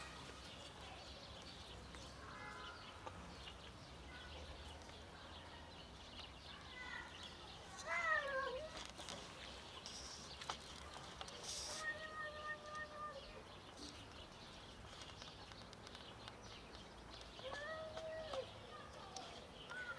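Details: Wary cats in an alley, trying to dodge a person, give a few quiet harmonic meows: a falling, drawn-out cry near the eighth second, a flatter, steady-pitched mew around twelve seconds, and another short meow near the end over faint background hiss.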